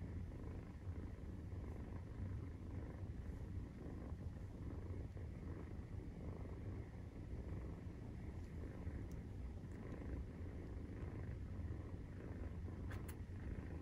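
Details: Maine Coon cat purring while nursing, kittens 43 days old, indoors: a steady low rumbling purr runs throughout, with faint soft clicks and rustles above it.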